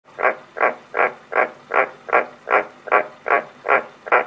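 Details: Pet frogs kept at home give a steady run of ten rasping, mid-pitched croaks, each about a third of a second long, repeated roughly two and a half times per second with even rhythm and no other clear sounds.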